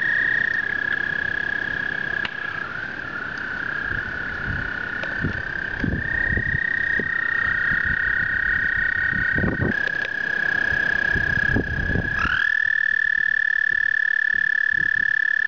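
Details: American toads singing during their spring breeding migration, males gathering at a breeding area. A long, steady, high-pitched trill runs unbroken through the whole clip. Overlapping trills shift slightly in pitch, over low thumps and rumbles.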